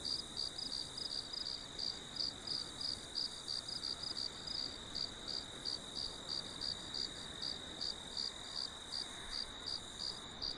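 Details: Steady cricket chirping used for relaxation: quick high pulses repeated around three times per second with little variation, a continuous shrill drone behind them and faint broadband hiss.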